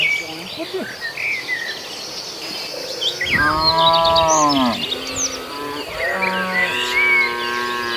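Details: Cows in a tame herd crossing a field to the pen and grazing; a loud, full moo lasting over a second followed by a shorter second moo, with twittering birds behind.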